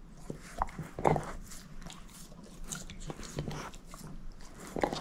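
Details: Chewing on a bone by Moose, a shepherd mix female: irregular crunching bites, the loudest just after the first second, over a soft low background hum indoors.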